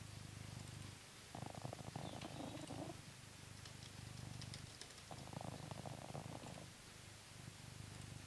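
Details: Blue British Shorthair cat Coconut, at home in England, purring during a brushing session. The deep rumble alternates between quieter and fuller, louder phases, with light scratchy brush strokes in the background.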